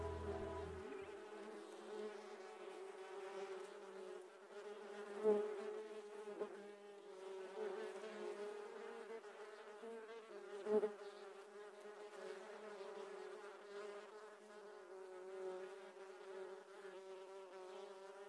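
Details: Giant honey bees (Apis dorsata) during honey harvesting. A dense, steady swarm buzz holds a low droning tone with many overtones, swelling and fading gently, with two brief louder knocks or bumps partway through.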